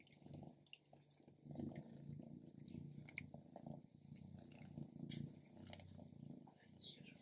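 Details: Purring from Stripes, a female pet cat, as she eats grilled lamb: a low, throbbing, steady rumble under scattered crisp chewing clicks and a brief soft murmur of human voice.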